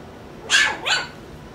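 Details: Four-week-old puppies from Skittles' litter, one of them called Taco, give two sharp, bright yelps in quick succession, the second slightly softer, with a quiet indoor background.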